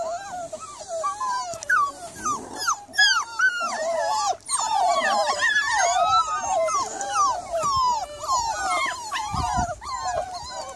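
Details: Miniature Labradoodle recorded on an evening of 3 July, giving a busy stream of high, squeaky whines and yelps, many short rising-falling notes in quick overlapping succession, with a few low thumps.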